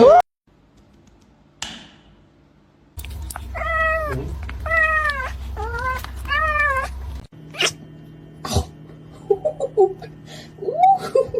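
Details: Kitten meowing: four arched, tonal meows in quick succession, each rising then falling slightly, over a low steady hum, followed by a few faint, short mews and clicks.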